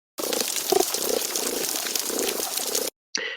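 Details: Underwater hydrophone recording on a reef: low, knocking pulses from a sergeant major fish rise above the constant crackle of hidden snapping shrimp.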